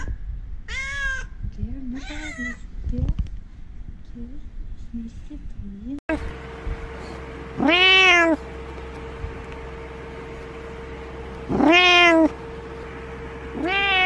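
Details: Cat giving loud, drawn-out meows, two quick ones at the start and then longer wavering calls about every four seconds, over a steady hum.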